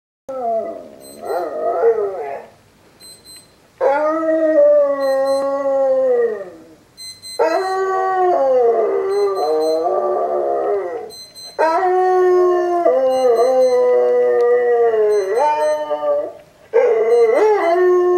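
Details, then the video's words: Boxer dog howling indoors in reply to sounds played from online videos; long wavering harmonic howls in four main bouts separated by short pauses, pitch sliding up and down, with a faint high electronic tone in the background. "Howling back at YouTube videos"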